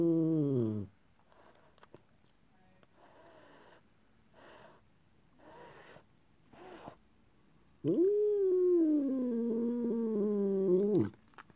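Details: George, a talking cat described as not very happy, gives a short falling meow, then after a pause a long drawn-out complaining yowl of about three seconds that rises sharply and then wavers, with faint background sounds between.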